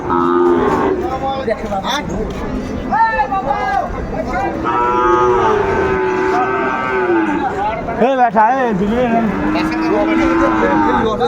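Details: Sahiwal bull calves at a cattle market near Dhaka, Bangladesh, 8 May 2024: repeated tonal moos of varying length from several animals, some rising and falling, with a sharp bellow near the end amid crowd noise and talk.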